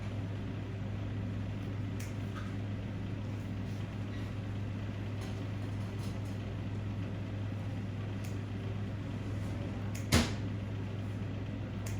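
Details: Steady low engine hum like an idling vehicle fills the recording, with faint scattered clicks and one sharp knock near the end, and no animal voice.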